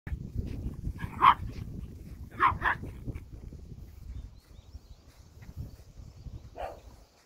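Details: Old dogs being encouraged to jump, recorded on 28 July 2024; a few short, sharp barks near one and two-and-a-half seconds and a softer one near the end, over a faint low background rumble.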